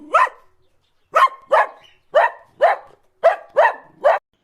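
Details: Dog barking, eight short sharp barks in uneven bursts, some in quick pairs, with clean silence between them.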